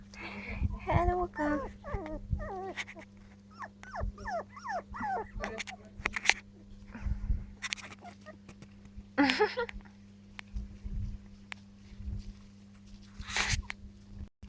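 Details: Four-week-old Jack Russell terrier puppies, recorded 28 July 2013, give runs of high, thin whimpers and short yips in quick bursts over the first six seconds, with scattered knocks and clatter, a steady low hum, and a few sharp louder sounds later.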